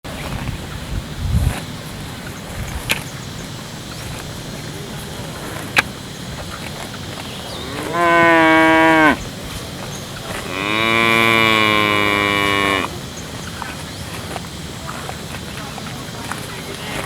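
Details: Village cow mooing twice: a short, one-second low moo followed, after a pause, by a longer, two-second moo with a steady harmonic tone, amid light background rustling and clicks.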